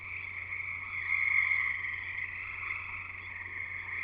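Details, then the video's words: Frog chorus recorded at a house in Escanaba, in Michigan's Upper Peninsula: dense, continuous overlapping trills in several high bands, swelling around the middle, with a steady low hum underneath. "Frogs Singing in the U.P."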